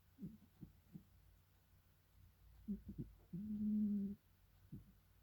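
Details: A domestic cat snoring indoors in a quiet room: soft low snorts and breaths, with one longer droning, humming exhale near the end and faint background hum.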